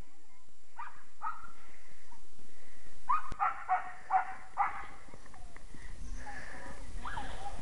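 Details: Baby goats in snow while a man on crutches tries to catch them; several short harmonic bleats around three to five seconds, wavering and nasal, with rustling and movement noise outdoors.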